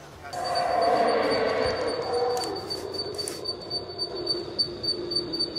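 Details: Howler monkeys calling at night near Palenque, Mexico, loud enough to disturb sleep; a deep, roaring swell rises and holds for several seconds, then fades into a lower drawn-out moan, with pulsing insects in the background.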